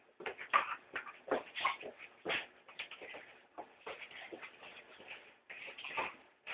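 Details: Female Staffordshire terrier at home growling as she attacks a house brush during housework; rough, noisy snarling bursts come in quick irregular runs with short gaps, plus faint shuffling.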